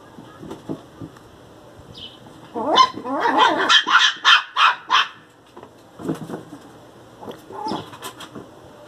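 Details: Pinscher puppy Teco, angry, gives soft low growly grumbles, then breaks into a fast burst of six or seven shrill yaps before settling back into quieter grumbling whines.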